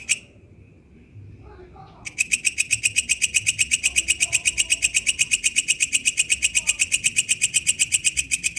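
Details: In the wild, the katydid known as walang kecek gives a single buzzy click, falls silent for two seconds, then launches into a long, regular run of shrill rasping pulses at about four per second.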